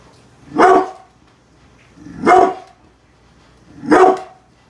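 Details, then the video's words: Bullet, a brindle pit bull protecting the house from construction workers working outside, gives three deep, forceful barks spaced roughly one and a half seconds apart, with quiet pauses between them. "brindle pitbull protection dogg !!! scary growling and barking"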